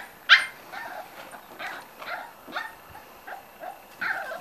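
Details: Small yips and squeaky barks from five-week-old Corgi puppies come in an uneven string, about eight short bursts over four seconds, the first one loudest, with whiny tails on some.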